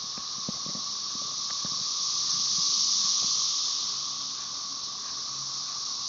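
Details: A chorus of Magicicada tredecassini with M. tredecim in the background, Brood XIX, at Tyler Bend Park near Marshall, Arkansas, on May 30, 2011, makes a steady, high, hissing roar that swells and fades.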